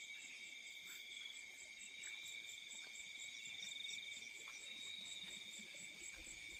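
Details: Crickets in fields at night: dense, continuous high-pitched trilling in several layers, with a rapid pulsed chirp repeating about four times a second over a quiet background.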